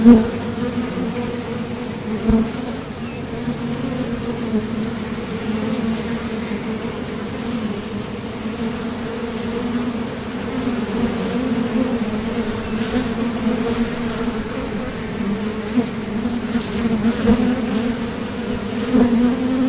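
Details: Honeybees buzzing at the entrance of a Top Bar Hive as foragers leave for and return from gathering nectar; a steady, dense low hum with a strong droning tone and faint overtone, swelling slightly as individual bees pass close.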